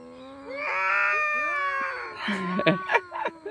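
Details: Fight between two cats: a loud, sustained howling wail that rises and then sags, then breaks into a few short, harsh, clipped yowls and spits near the end.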